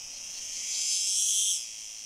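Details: Male cicada of unknown species singing beside a female in Fondón, Andalucía, Spain, 9-7-2022; a shrill, dense buzzing swells in loudness, holds for nearly a second, then fades back to a softer hiss.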